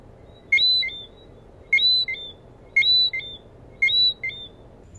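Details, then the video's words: A Lesser Antillean whistling frog (Eleutherodactylus johnstonei) gives sharp, high two-note whistles, repeated about once every second. "Lesser Antillean coqui whistling frog"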